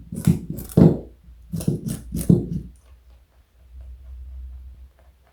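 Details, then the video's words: Carrot being bitten and chewed by Joey, a large pet bunny kept indoors: five loud, dry crunches spread over about two and a half seconds, then a soft, hushed tail. "Joey is Eating Carrot and Yawning. Cute Bunny."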